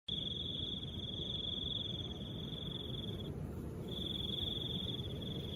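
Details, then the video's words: Cricket calling with soft wind: a steady high continuous trill held for over three seconds, a short pause, then resuming, over a constant low rushing wind. "Crickets and the sound of soft wind"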